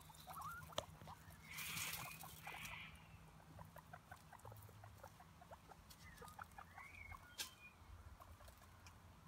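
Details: Five guinea pigs eating grass outdoors; soft crisp chewing clicks and patter throughout, with a few faint short squeaks mid-clip over a quiet low background hum.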